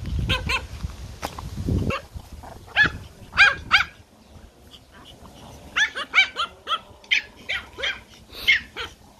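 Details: Toy Pomeranian puppies playing in a garden give shrill, yappy barks in two bursts: a few quick yaps early on, then a rapid run of about eight high barks after a short lull, with some low thumping and rustling at the start.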